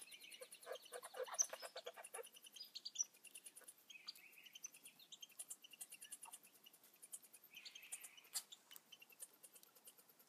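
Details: Baby red squirrels: a rapid run of buzzy, harmonic pulsed squeaks over the first two seconds, followed by scattered short chirps and thin squeals across a quiet background.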